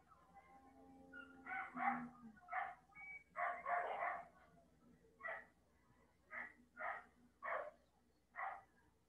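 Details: Domestic dogs, agitated by nearby commotion after a truck carrying cattle crashed and people round up the cows: distant sharp barks in uneven clusters, some doubled, repeated roughly every half second to second, over a quiet background.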